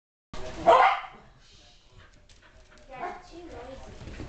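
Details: An adult Shetland Sheepdog barks while five-week-old Sheltie puppies team up to drag a tiger toy around their pen enclosure. A single sharp bark sounds near the start, followed by quiet rustling and faint background noise.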